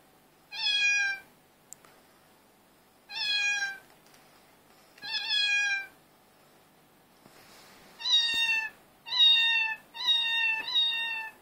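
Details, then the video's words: Domestic cat chorus recorded on an Android phone: six harmonic meows, each about half a second to a second long, falling slightly in pitch, in two spaced bursts with quiet gaps between. "Cat chorus 2"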